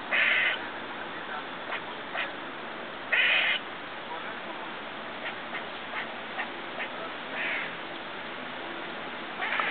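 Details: Squirrel outside a neighbour's window making unusual noises as it eats; loud raspy nasal bursts at the start and after three seconds, scattered light clicks, a softer call later, steady hiss throughout.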